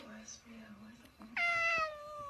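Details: Domestic cat indoors in a small room giving a loud drawn-out meow with clear harmonics, slowly falling in pitch, after soft background murmur; a person's voice follows.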